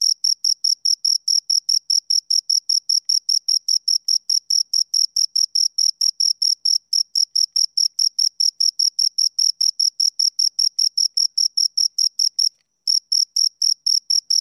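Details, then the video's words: Continuous bright, scratchy pulsing from two crickets, around four chirps per second, broken once by a short silence near the end. "Two Crickets Chirp Sounds"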